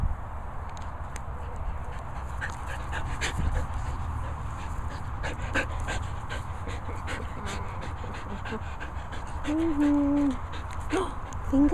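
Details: Border Collie at a dog training and boarding kennel in the Worcestershire countryside; steady rapid panting, followed near the end by short, high, whining whimpers, with background rustling.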